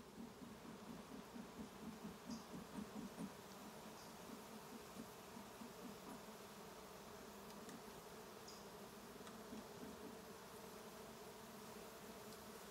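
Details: Western honey bees at a hive during a trap out, left alone to evacuate after being smoked; a steady low droning buzz with pulsing swells in the first few seconds, a few faint high ticks above.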